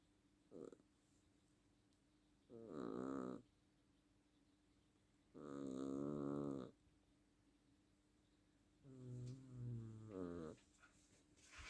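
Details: Domestic cat snoring while asleep: three long rasping breaths about two to four seconds apart, each a low buzzy harmonic-rich snore, the last one wavering, with a faint steady hum in the room.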